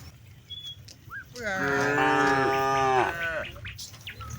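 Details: A cow in a herd of hundreds grazing on spacious rice fields, calling companions homeward before dark: one long, drawn-out moo of nearly two seconds that wavers slightly and fades, with faint bird calls before and after.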